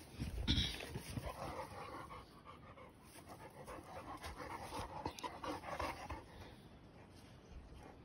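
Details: Cane Corso and Presa Canario dogs running up trees in Arcata Park; quick, breathy panting at roughly three breaths a second over rustling and steady outdoor background noise.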